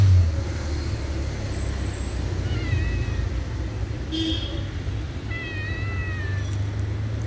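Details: Pet cats wait on a staircase for attention, meowing in drawn-out, high, downward-sliding calls, a brief one near three seconds and a longer one after five, with a constant low hum and a faint click between.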